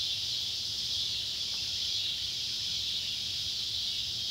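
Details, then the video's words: Neotibicen pruinosus and Neotibicen tibicen cicadas calling at sunset on July 31, 2013, by an old tobacco barn in Ballard County, Kentucky; a steady, unbroken high buzzing drone fills the whole stretch, with a faint low hum beneath. "Kentucky barn with sunset light and cicada sounds"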